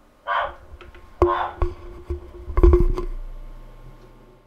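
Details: Captive male giant waxy monkey frog (Phyllomedusa bicolor) in London calling to attract a female, caught on a computer microphone: two short, rough, clucking bursts, then hard knocks and clicks in a small room.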